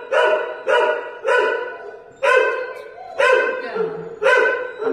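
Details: Holly, a female Podenco held at Valencia's municipal pound, gives a run of six repeated barks roughly every three quarters of a second, bright and harmonic with sharp attacks, a faint lower whine between two of them.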